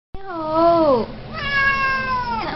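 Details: Siamese cat meowing: a long wavering meow with a rich harmonic stack, falling at the end, followed by a second drawn-out, steady meow that ends in a brief bent-down note.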